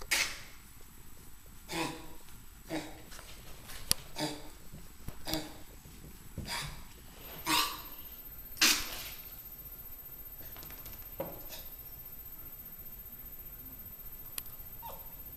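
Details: Puppy kept up all night by coughing, indoors in a small room: a series of short, harsh, breathy bursts, irregular and about one a second, fading into quieter wheezy puffs toward the end.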